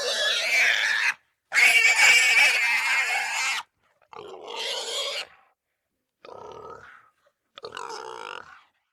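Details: Russian wild boar squealing: harsh, shrill, noisy squeals in separate bursts of one to two seconds, with short silences between them and the loudest burst near the start.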